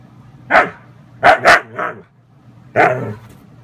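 A Siberian husky protests bedtime with short, throaty yowls and woo-like bursts, some paired in quick succession.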